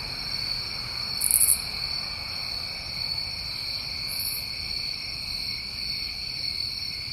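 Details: Unbroken shrill chorus of crickets on a New England summer night, two steady high trill bands, with a sharp rasping buzz burst after one second and a fainter one at four seconds.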